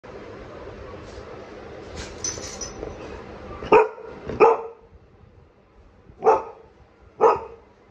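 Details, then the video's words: Golden Retriever named Nero, eager to go for a walk, barking in four sharp bursts spaced about a second or two apart, with a steady background hum before the barks. "Nero ghumne ke liye to pgl ho gai Golden retriever"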